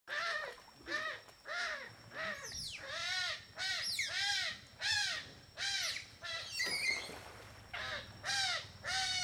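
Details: A playful group of smooth-coated otters eating fish in a river in Borneo give loud, shrill, arching squeals, repeated roughly every half second to second.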